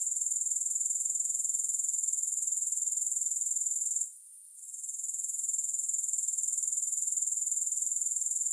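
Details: Grasshopper sounds with no music: a high, shimmering, rapidly pulsed trill running without pause, briefly dipping into near silence halfway through, then rebuilding to a steady buzz.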